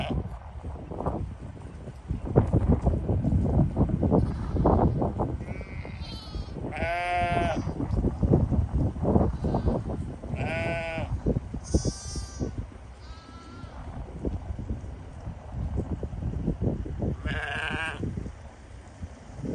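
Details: Sheep bleating several times, wavering harmonic calls at about 7, 10, 12 and 17.5 seconds, some high and quavering, amid loud rustling, handling noise and a voice.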